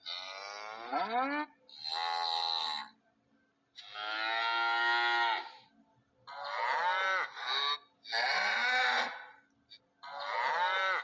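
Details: Cow mooing in six drawn-out, strongly harmonic calls of about one to two seconds each, separated by short silences; several calls bend downward in pitch at their ends.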